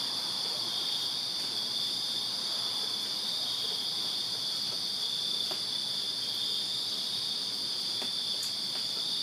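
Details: Many crickets chirping in a Virginia backyard on a summer night: a dense, unbroken high-pitched shimmering drone that never pauses, with a fainter upper band layered above and a few soft clicks underneath.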